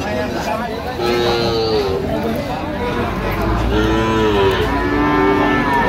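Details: Young Sahiwal bulls at a Barishal cattle market, 22 September 2025: two sets of sliding moos, one after the first second and another past the halfway mark, over a constant background of people talking.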